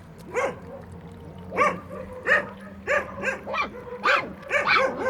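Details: Puppies at a building site while eating, giving repeated short high yelps and whimpers roughly every half second, some rising then falling in pitch.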